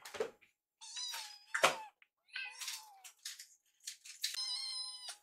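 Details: Two rescued kittens trailing a caretaker around the kitchen, excited by the smell of microwave-warmed Kalkan wet food; loud, drawn-out wailing meows, strongly harmonic, some nearly a second long, with occasional bumps and clatter.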